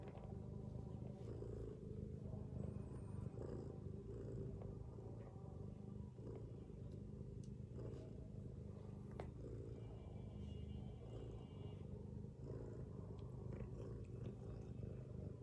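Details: Mother cat asleep among her kittens, snoring in a long low rumble that swells and eases with her breathing over fifteen seconds; a few faint thin squeaks and brief ticks sound above the drone.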